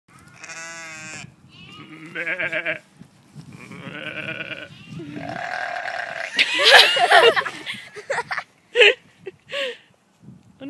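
Sheep give a run of wavering, nasal baas, with a few rough, burp-like grunts mixed in.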